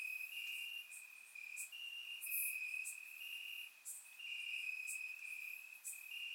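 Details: Crickets chirping in grass on a warm summer night in Bulgaria, recorded with a surround microphone; steady high trilling bands overlap in long pulses, with brief brighter ticks above from other insects.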